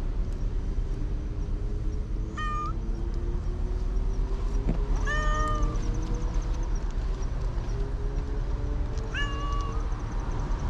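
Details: Cats at a park entrance waiting for their dinner; three short harmonic meows spread over ten seconds, the middle one loudest, with a passing vehicle's drone and low outdoor rumble throughout.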